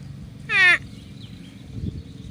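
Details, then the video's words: Loud, clipped 'uwwek' from a water buffalo in a grazing herd opens the recording, a short downward-sliding bleat followed by soft background hum and a faint bird note. "Bunyi Kerbau | Suara Kerbau"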